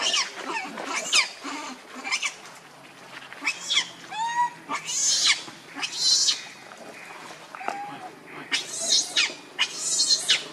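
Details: Baby monkey Leo begging its mother for milk out of hunger: broken bursts of high screeching cries with short gaps, some cries bending up then down, amid a faint low hum.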